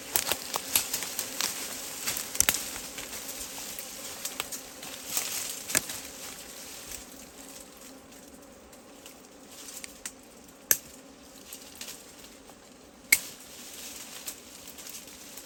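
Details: Steady hum of wild honeybees around a forest hive, a low drone with a higher overtone, broken by sharp clicks and taps throughout, with louder knocks near eleven and thirteen seconds.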